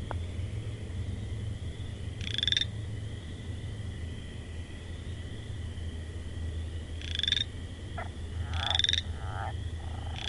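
A frog gives short, harsh, rattling calls at irregular intervals over a steady insect drone.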